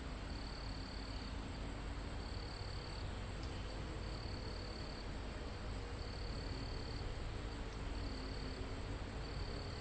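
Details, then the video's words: Crickets in a calm forest near the top of a mountain, recorded live: high trills about a second long repeat every second or so over a steady shrill insect drone, with a low rush of wind through foliage and trees. "Calm Forest in Mountain With Crickets, Insects Sound"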